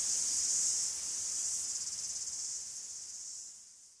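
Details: Cicadas singing in a forest in Greece: a continuous high, hissing buzz that pulses rapidly and fades out toward the end, with no other sounds.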